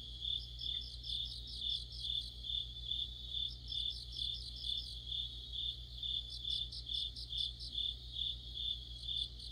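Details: Crickets and other insects singing together in deep autumn near a streetlamp; a continuous high chirping trill pulses regularly, joined by bursts of quicker stuttering chirps early and late, over a constant low electrical hum.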